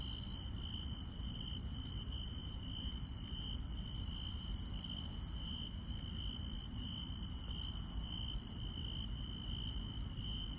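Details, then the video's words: Countryside night insect chorus with one constant shrill tone held without pause, overlaid by rapid, regularly repeated higher chirps from other insects, and a steady low rumble underneath. "시골 밤의 정겨운 풀벌레 소리"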